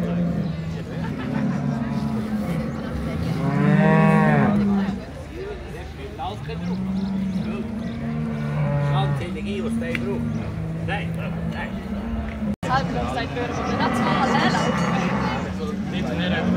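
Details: Brown Swiss cattle gathered at the 2022 cattle show of both Appenzell cantons in Switzerland, lowing in deep, drawn-out moos, one loud rising bellow early on, others answering across a noisy hall with voices.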